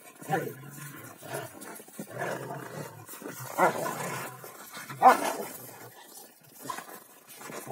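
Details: Two Rottweilers playing king of the hill, one holding the top while the other keeps pushing; rough rumbling growls and short vocal bursts come in uneven bouts about a second apart, with scuffling between them.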